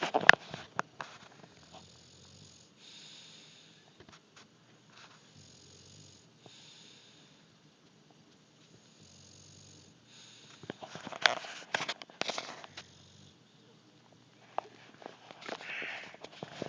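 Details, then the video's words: Brutus, an English bulldog, asleep and snoring indoors: soft, wheezy, rhythmic snores recur every couple of seconds, then louder snorting and snuffling bursts break in around the middle and end. "Brutus snoring"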